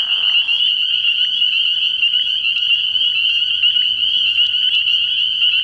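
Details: Nighttime frog pond in early spring, packed with spring peepers whose massed high peeps blend into a constant shrill ringing, with a short lower sound at the very start and faint low rumbling beneath.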